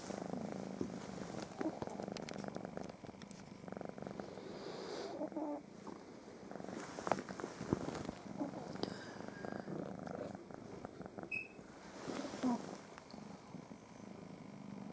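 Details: Domestic cats purring in the morning, trying to lie on top of a person just waking up alongside pug dogs; steady low rumbling purr throughout with faint rustling and a few soft clicks.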